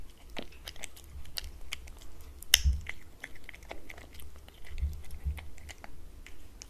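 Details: Domestic cat feeding on wet food served on a glass table; irregular moist smacks and crisp bite clicks, one loud clack midway, set against quiet room tone.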